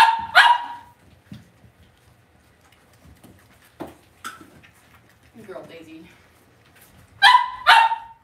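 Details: Cavalier King Charles Spaniel puppies raised indoors in a home puppy pen give sharp, high yips: a quick pair near the start and another pair at the end, with fainter soft sounds and a brief murmur in the quiet between.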